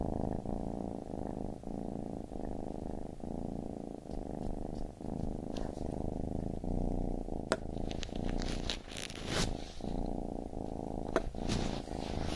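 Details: Purring from a baby kitten: a deep, even buzz pulsing with each breath, joined late by a couple of sharp clicks and light scratchy rustling.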